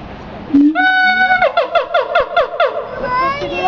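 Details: A siamang gives a short low note, then a sustained bright tone that rises, breaking into a fast series of pulsed, ringing notes and ending in an upward-sliding whistle.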